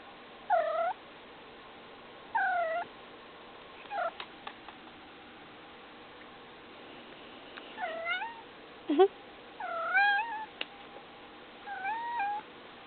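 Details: Domestic cat making noise, producing repeated meows, some bent rising-falling, some short and chirpy, with a few clicks and a low growl-like note in between, over a soft steady hum.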